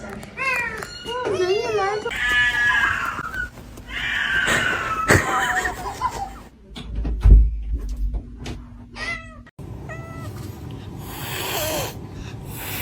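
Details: Domestic cat giving two kinds of vocal sound: wavering, rising-and-falling meows and a longer drawn-out mew, over background music and a person talking.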